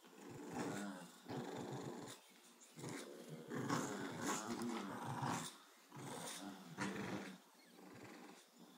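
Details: A Boston Terrier growls in rough, rumbling bursts that rise and fall every second or so while playing tug of war with a bulldog.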